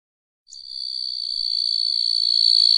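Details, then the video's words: Small grasshopper whose high, steady, hissing buzz begins suddenly after half a second of silence and builds gradually in loudness to the end, with no other sounds. "Sonido del saltamontes - Sound of the Grasshopper"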